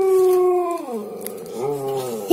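An Alaskan Malamute howls in one long, tuneful note. The note starts fairly high, slides down in the middle, then swells back up toward the end with a rich, ringing tone.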